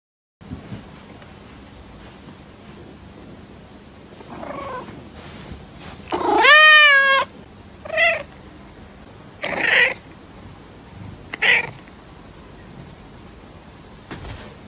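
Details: Cute baby cats meowing indoors: a loud drawn-out meow with rich stacked harmonics, followed by three shorter, higher meows spaced about two seconds apart, with faint soft vocalisations before them against quiet room hiss.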